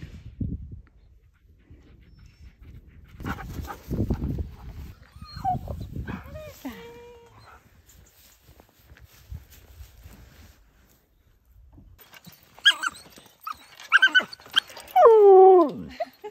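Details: Large Siberian Husky playing with a puppy; after quiet talking and rustling, a series of loud, drawn-out wavering whine-howls with rising and falling pitch sounds in the final seconds.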